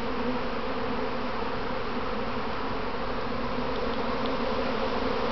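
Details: Honey bee practice swarm of a beekeeper's colony, bees clumping on their box; steady, dense wing drone with a slight shimmer, constant and unvarying from start to finish.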